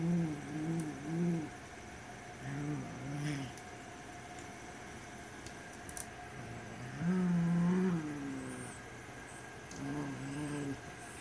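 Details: White Siamese cat warning over a black toy rat, repeating low, wavering growls in bursts: two quick swells, a short one, a longer rising and falling growl near the middle, and a final rumble, separated by quiet pauses.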